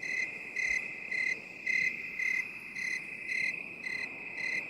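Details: Rhythmic cricket chirping in binaural sound for relaxation, short high ringing bursts coming roughly twice per second with slightly varying loudness, layered over an unbroken shrill insect trill and faint background hiss.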